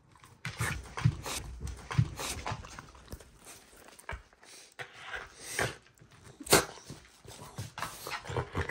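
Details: Ranmaru, a Shiba Inu indoors at home, excitedly greeting family members who have just come back, 115 days after a disaster; quick, irregular bursts of panting breath with scuffling movement noises in a small room.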